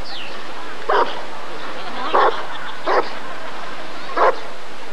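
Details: Single Rottweiler at the 1994 ADRK Körung barks four times at uneven intervals. A brief falling whistle-like sound opens the passage, and there is a soft background murmur.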